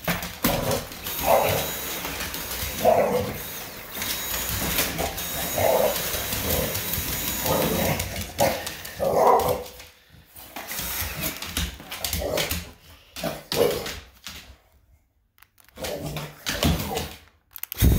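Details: English Bulldog Hazie getting worked up about the vacuum at home, giving a string of hoarse, mid-pitched barks in uneven bursts over the first half, then quieter gaps and scattered yips, while the vacuum hums and a person talks.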